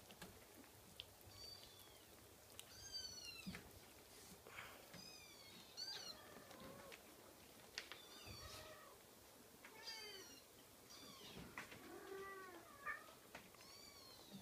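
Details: Young Scottish Fold kitten giving a long run of high-pitched mews, some bent and wavering, others short and falling, repeated many times with a few soft knocks and rustles in between.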